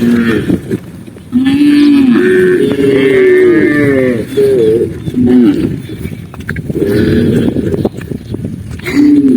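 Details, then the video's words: Tame cows herded through mountain countryside in the afternoon, several overlapping low, drawn-out moos with rising and falling pitch, calls sometimes stacked on one another, with brief gaps of quiet between bursts. "cow sound cow Moo"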